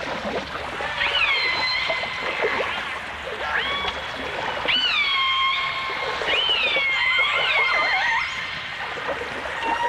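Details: Dolphins and orcas recorded underwater in full dimensional stereo in 1989, trading looping whistles that rise sharply then level off, repeated in bursts every couple of seconds with faint clicks and a constant hiss of water.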